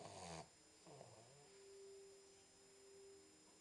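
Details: Boxer puppy named Max, 10 weeks old, asleep indoors: a single rough, noisy inhaled snore, then a short whistling, dipping exhale. The sound is quiet and followed by a faint steady hum.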